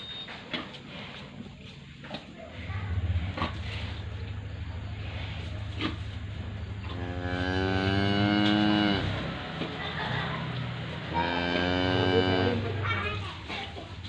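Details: Calves aged 111 and 60 days mooing: a low drone from about three seconds, then two long, loud harmonic-rich moos near eight and twelve seconds, each lasting over a second, with people talking in the background.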